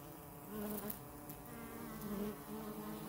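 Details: Short burst of honey bee buzzing, recorded close up: a low hum that grows louder after half a second and stays a dense, steady drone with rich overtones.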